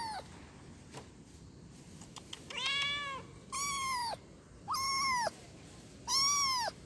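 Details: A kitten calls for its mother with four clear, high meows roughly one per second, each steady then dropping at the end, after a few faint clicks and taps at the start.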